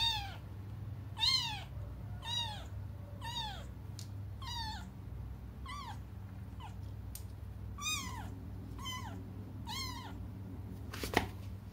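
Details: Crying cats awaiting their mother's return give a string of about nine rising-and-falling meows at an uneven pace, softer than before, with a few clicks and a sharp knock near the end.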